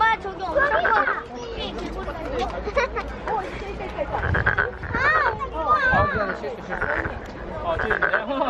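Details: Calling frog filmed at Nowon's lantern festival, Korea, throat swelling with each cry; short buzzy croaks come in a loose series under loud nearby talking and festival crowd noise.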